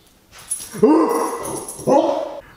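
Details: Siberian Husky howling in a tantrum in response to a conch shell horn: two wavering, mid-pitched howls, the first long and sliding upward at the start, the second shorter, with a faint high steady tone behind.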